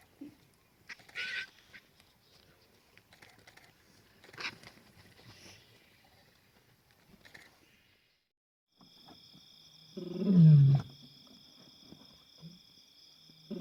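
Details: Wild African lion roaring at night on safari in Africa: one deep, loud roar sliding downward late in the recording, preceded by scattered faint sounds, with steady high-pitched insect-like whining in the background.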